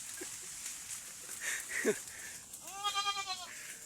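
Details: Small goat on an outing in the jungle: a brief knock and a short squeak, then one wavering, harmonic bleat of under a second over steady high hiss.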